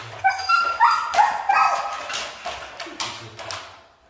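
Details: Siberian Husky that is hard to train, vocalising with a few loud, tonal whines and yelps that bend downward, followed by softer, fading whimpers toward the end.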